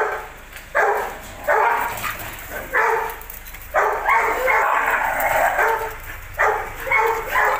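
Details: A Belgian Malinois, shown as possibly aggressive, barks hard and repeatedly, seven or so broad, rasping barks spaced about a second apart, with faint human voices behind.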